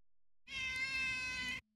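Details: A tame female neighbour cat gives one drawn-out, steady, high meow lasting about a second, rich in harmonics, followed by silence and a brief soft sound at the end.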